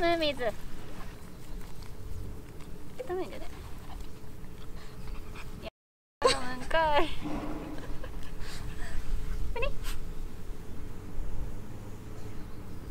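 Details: Pet dog thrilled to be back at a dog run after a long time, giving short high whines that waver and slide downward, in bursts near the start, around three seconds, a longer run near seven seconds and again near ten, over steady low rumble.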